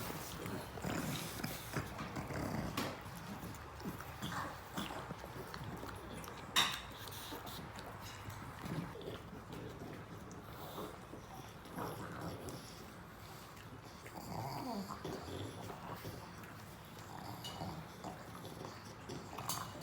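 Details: Pet pug eating a treat, giving soft snorts and snuffling breaths scattered through the recording, with light clicks and quiet room noise behind.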